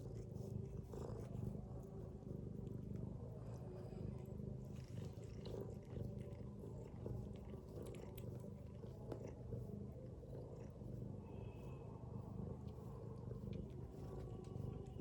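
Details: Mother domestic cat sleeping with her kittens, snoring in a steady low rumble that swells and eases in slow breaths, with faint soft ticks and rustles above.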